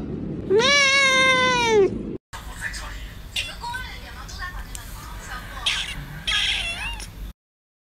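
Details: Two kittens indoors, one sitting on a couch and the other watching television, meowing loudly: one long, drawn-out, harmonic meow, then after a short break softer, shorter meows over background talk and household noise.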